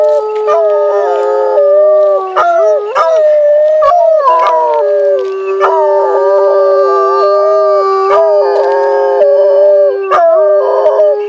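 Timber wolves howl in long, steady, mournful tones that overlap, with pitches wavering and sliding between notes.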